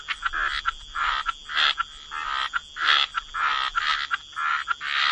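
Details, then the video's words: Frogs croaking near water, rapid rhythmic buzzy croaks about twice a second, some rising into brighter upper tones, with a low rumble beneath and a thin high tone above. "Frog Lullaby: Relax to the Sound of Croaking Frogs"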